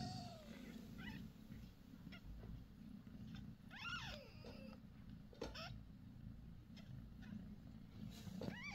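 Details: Mother domestic cat Bassy, six days after giving birth on January 6 to five kittens, three male and two female. A steady low purr runs throughout, while thin, high, rising-and-falling kitten-like mews come and go faintly.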